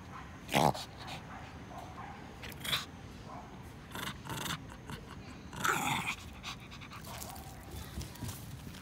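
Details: Kuu-chan, a Shih Tzu, tugging a stick in a park during play, making scattered gruff growling bursts with panting and rustling between them.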